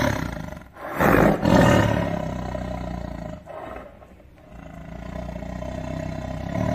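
A tiger gives a deep, rasping roar that surges loudly for about a second, then rumbles on lower.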